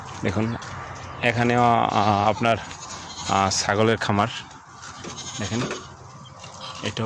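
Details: Goats on a farm, Dubai desert goat farm; loud wavering bleats with strong stacked harmonics around 1.3 to 2.5 seconds and again near 3.5 to 4.3 seconds, shorter bleats between, human voices also present.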